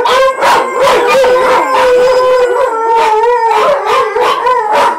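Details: Miniature Pinscher and Chihuahua mix howls at sirens from Grand Theft Auto: a loud, sustained, steady-pitched howl with slight wavering, punctuated by quick yipping pulses, continuous throughout.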